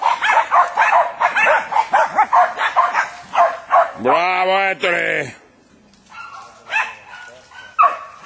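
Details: Jack Russell Terriers hunting wild boar: fast overlapping barks for four seconds, then a man's drawn-out shout, followed by quieter scattered barks and voices.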